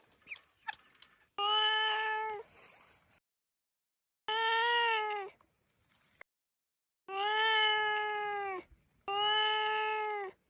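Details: A cat gives four long, drawn-out meows, each about a second or more, held at a steady pitch with rich harmonics and separated by short silences; a few faint clicks come before the first call.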